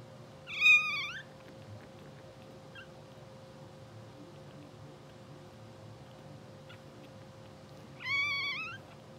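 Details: Sleeping, dreaming English Bulldog puppies two hours after birth, blue sable litter; two loud, high, quavering squeals about seven seconds apart, with near silence and a faint steady hum between them.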